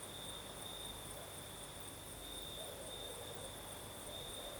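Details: Crickets sing through a breezy night in Crimea's south, an even high trill held without break, with faint low murmurs beneath and steady airy background noise.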